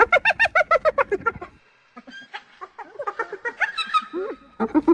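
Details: Hyena giving a quick series of pulsed laughing notes that stops after about a second and a half. Scattered softer chattering and squeaky sounds follow, and a few more pulsed notes return at the end.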